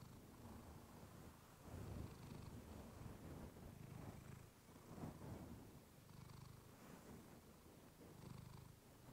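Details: Sleep-aid recording of Clementine the pet cat purring against a fluffy mic; a low, rumbling, fast-pulsed purr rising and falling in volume with each breath, soft background hiss throughout.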